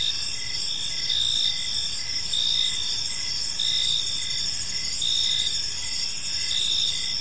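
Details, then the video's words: Evening cricket chorus in a quiet park: high, shimmering trills rise and fall in regular pulses about every second, layered voices over soft low rumble. "Cricket Sounds in a Peaceful Park"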